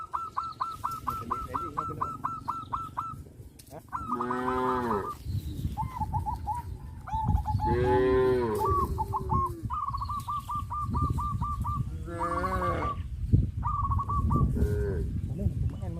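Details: Cows on a traditional village farm, led out to the rice fields after the harvest season, give several drawn-out, deep lowing moos, while a rapid series of high, evenly repeated piping notes runs through the background.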